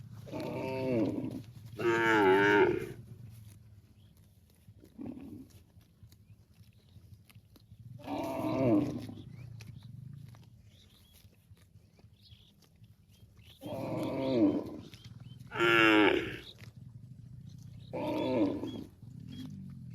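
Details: Cows mooing to call their extended family: about seven loud moos spaced a few seconds apart, some deep and groaning, others higher and strained with rising bellows, separated by quiet rural pauses.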